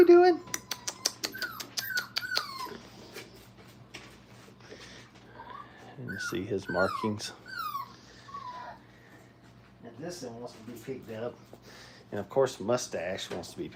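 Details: Five-week-old Brittany puppies whine during crate training indoors, giving thin descending whimpers in two bursts, each slide falling in pitch, while a person talks nearby in a small room.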